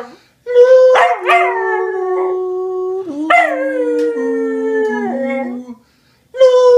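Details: A Cocker Spaniel named Asta, from a rescue, howls in long, wavering tones that slide slowly downward, singing along to the carol Hark the Herald.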